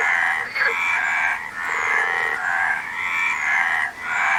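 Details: Overlapping frog croaks, a harsh, rattling chorus that swells and dips in long bursts with only brief lulls, the calls stacked from several animals at once.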